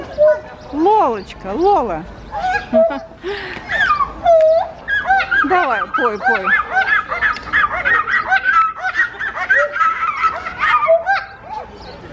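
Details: Two gibbons at Novosibirsk Zoo sing on 2 July 2020: loud swooping whoops that rise and fall, then fast, high warbling trills.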